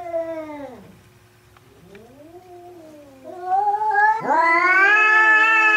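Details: Third fight between domestic cats Hokuro and a black-and-white rival: a falling yowl fades to a low wavering moan, then swells into a loud, sharply rising, harmonic-rich scream that is held high.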